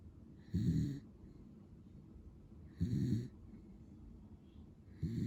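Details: Pero, a sleeping male lemon-and-white Beagle born 22 February 2015, snores in deep, rasping low bursts about every two and a half seconds, three snores separated by quiet breathing.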